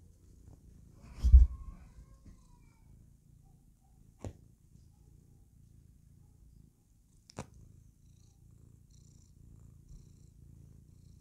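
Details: Playful house cat purring contentedly as she clowns around; a quiet low rumble runs beneath a loud bump early on and two sharp clicks.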